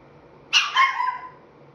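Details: Young Chihuahua, roughly five and three-quarter months old, making a talking sound: one sharp yip sliding into a drawn-out, wavering whine-like tail lasting under a second.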